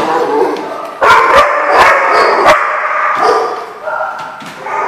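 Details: Several dogs barking together, loud overlapping sharp barks in rapid bursts, some higher yips mixed in, with a short pause before a fresh volley.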